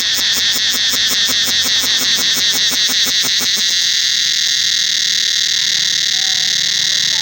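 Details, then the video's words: Cicadas calling throughout the forest of Angkor Wat temple: a loud, steady high-pitched shrill drone with a rapid pulsing rattle layered on top for the first four seconds, then fading to the smooth continuous whine. "Listen to the sound of Cicadas throughout the forest of Ankgor Wat temple"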